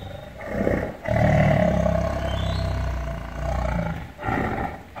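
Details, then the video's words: Loud tiger growl: a sustained low, rumbling snarl lasting several seconds, swelling and fading, followed by a shorter rough burst. "Suara Harimau Meraung Seraaam (sound of tiger growling - tiger sound effect loud)"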